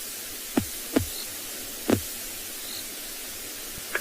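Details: Steady hiss broken by a few sharp knocks and taps, with no animal voice.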